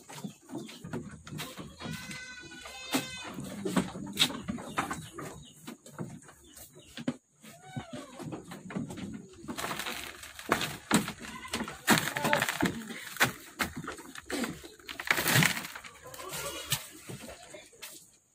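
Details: Goats at a goat farm: an early quavering, nasal bleat with rich tremor, then a long stretch of clattering, knocking and shuffling noises from the pens.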